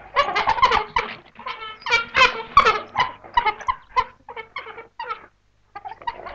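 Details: A pack of African wild dogs on hot open grassland in the African bushveld gives a busy chorus of squeaky, bird-like twitters and yelps, several voices overlapping in quick bursts that fade out toward the end.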